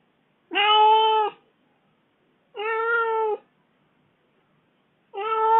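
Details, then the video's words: Kitten left at home for four days voices its grievance with three drawn-out, level meows of about a second each, spaced by roughly two seconds of quiet. "小貓叫的很委屈 罵得也很髒"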